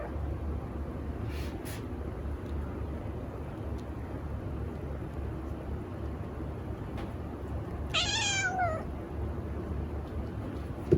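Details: Moco, a female long-legged Munchkin cat, meows for food: a single high, wavering meow with bright harmonics, rising then falling, near the eighth second, over a steady low household hum.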